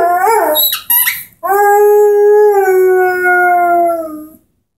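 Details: A young Airedale Terrier named Henry, 10 months old, with his orange squeaky ball: a short wavering yelp and a squeak, then one long steady howl slowly sliding lower before fading.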